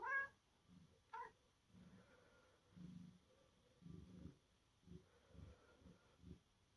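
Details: Pet cat indoors on a rainy day, asking to play; two brief, bright meows in the first second and a half, then quiet, low rumbling and soft thuds.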